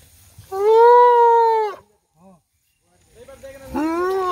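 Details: Elephant calf rescued from Dudhianali forest near Kalimati in the Ghatgaon forest range, rejected by its herd and sent to Nandankanan: one loud, steady, harmonic bellow lasting over a second, then a short faint squeak and rising noise.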